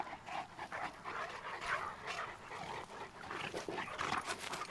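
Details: Two Cane Corsos, Tucker and Nessa, playing together; quick rhythmic panting with airy breathy puffs, several louder gasps near the middle and end.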